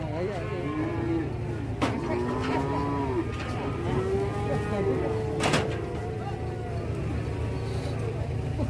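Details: Aggressive cattle on an Indonesian farm lowing in several overlapping, steady, harmonic moos that rise and fall slightly, with a sharp knock midway and men chatting in the background.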